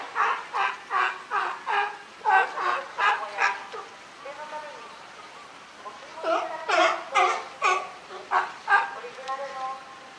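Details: Captive California sea lion group at Higashiyama Zoo and Botanical Garden, Japan, 12 September 2023, led by boss Felix: a run of loud raspy barks, a brief quieter pause with a low moan, then another burst of barking.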